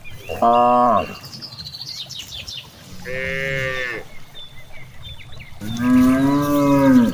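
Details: Cows grazing freely in a large green rice field, giving three harmonic moos: a short one near the start, a longer one midway and a loud drawn-out one at the end, over steady low rustling and breeze, with faint bird chirps.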